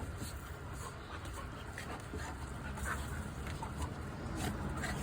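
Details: Golden Retriever dogs Yuki and Ponsuke: soft, breathy panting puffs, quick and rhythmic at roughly four per second, quiet and close over a steady low background hum.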